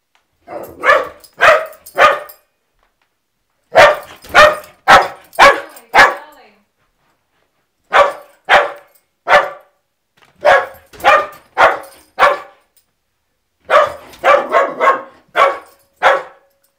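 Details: Pet dog going crazy when the mail comes, barking at the mail carrier in clustered bursts of three to five sharp barks separated by short silences of one to two seconds.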